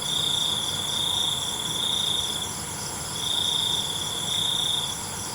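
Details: Night-time cricket song, a long shrill buzzing trill lasting nearly two seconds, a short pause, then another sustained high trill, with a soft constant rumble underneath.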